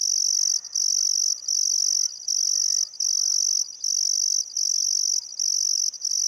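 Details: Crickets on a still summer afternoon at sunset by the Barcoo River, Welford National Park, Outback Queensland, Australia: a steady shrill high trill in long bursts, cut by brief pauses about every 0.7 seconds, with faint birdcalls underneath.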